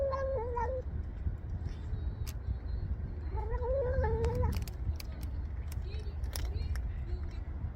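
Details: Stray cat eating kibble outside in the cold gives a short falling meow, then after a pause a longer bending meow, with eating clicks and steady low rumble of traffic-like background noise.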